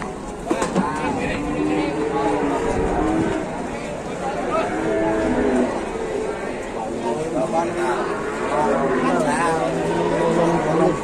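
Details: Large cattle at Pasar Pon livestock market in Ambarawa, Indonesia, being weighed after unloading from trucks; deep harmonic moos rise and fall over market bustle, with people talking throughout and vehicle noise in the background.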